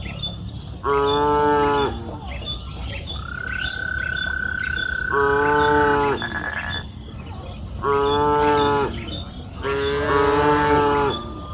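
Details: Four sonorous moos of about a second each from cows grazing freely on a green pasture hill in the afternoon, with a long high whistled tone between the first two and faint chirps.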